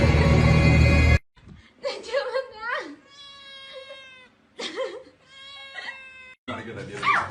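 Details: Pet cat meowing repeatedly: several drawn-out, tonal meows, some rising then falling, others wavering, with short pauses between them; loud music plays before and after the calls.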